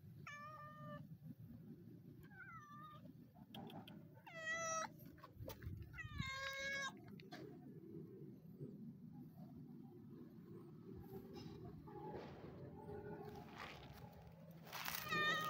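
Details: Pair of sibling street cats meowing while being fed, described as very happy; a series of clear harmonic meows, some wavering and drawn out, spaced a second or two apart, then quieter low rumbling noise with faint clatter.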